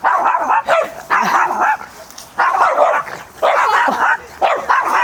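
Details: Maltese dog, a former shelter dog, barking repeatedly at other dogs in a park, seemingly annoyed or afraid; bursts of high, yappy barks in clusters roughly every second, with people talking nearby.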